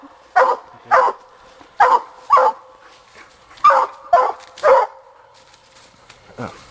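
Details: Young female Black and Tan Coonhound barking while coon hunting, as she gets her raccoon. Loud, full barks come singly and in pairs, seven in about five seconds, then a softer final yelp, with little else heard.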